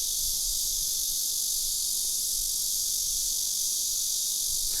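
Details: A blackish cicada chorus gives a loud, unbroken, high, hissing drone with no pauses or pulses. This species is common in the south, increasingly common in big cities, and its noisy choruses draw complaints.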